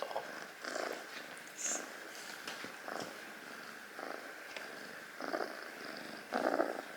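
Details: Sleeping rescued foster kitten purring indoors: rough, breathy pulses come in uneven bursts, with faint rustling between them.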